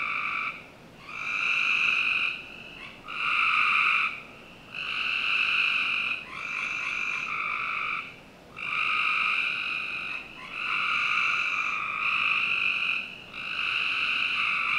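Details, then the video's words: Frogs calling on a summer night in a Northern Virginia backyard: long, loud, buzzy trilled notes, each lasting about one to two seconds with short gaps, several callers overlapping in a steady chorus. "Frog Night"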